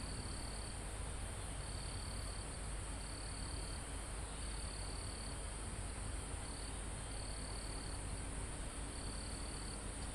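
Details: Crickets in a mountain forest near the summit, recorded live: short shrill trilled bursts, each under a second, repeat roughly every second and a half above a continuous high insect hum, with calm wind rustling through foliage.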